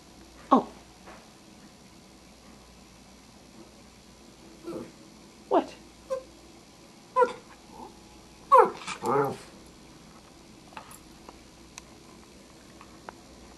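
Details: Bentley, a Cairn Terrier, 'talking' about mealtime indoors; a series of short, scattered grumbles and whiny yips spread across the stretch, with a denser cluster of vocal bursts near the end, separated by quiet pauses.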